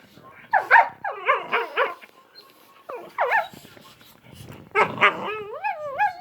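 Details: Two dogs playing together, making a string of whiny, yodeling grumbles and short yelps with sliding, warbling pitch, ending in rising and falling whines.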